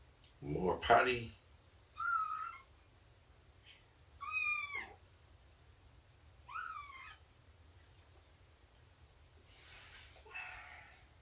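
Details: Meows during indoor nursing and play time with Shelby, a mother cat of about two years, and her kittens around three months old: after a brief noisy burst, four clear, high, slightly bent meows come roughly every two seconds, the last one softer.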